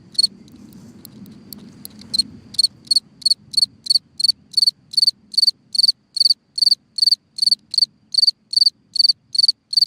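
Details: At night a cricket in a hole in the ground chirps: low rumbling noise at first, then a regular series of sharp, high, buzzy chirps, roughly two and a half per second, continuing evenly to the end.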